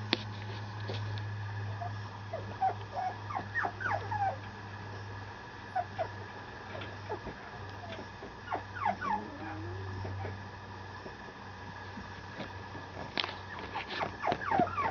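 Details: Male Mame Shiba Inu puppy at a Japanese breeder whimpering and yipping in short, high, falling bursts, scattered and irregular, with a steady low hum in the background.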